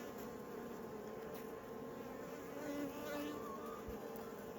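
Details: Honey bees humming in a healthy, robust colony during a beekeeper's inspection of an apiary at peak production. A steady, dense drone with layered low harmonic tones, swelling slightly midway, and faint handling noises.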